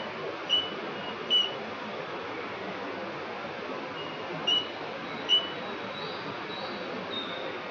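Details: A roughly 1 cm cricket sings among riverside vegetation at The Lost Tinamou reserve, Finca La Gracia, October 2019, giving four short tonal chirps spaced unevenly, with a soft continuous rushing background.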